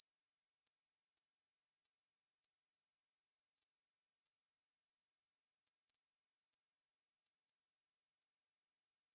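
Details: Continuous shrill buzzing trill from a Korean bush cricket, fast even pulses sustained throughout and tapering slightly in loudness toward the end, nothing else heard.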